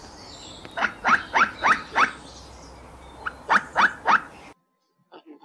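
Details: Squirrel giving a fast run of sharp, harsh barking chucks, about four per second, pausing, then a second burst of three before an abrupt cut; faint background hiss.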